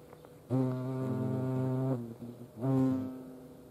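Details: European hornets at a feeding place in Dohr, Eifel, Germany: a loud, steady, low droning hum with rich harmonics that lasts about one and a half seconds, breaks off, then returns more briefly.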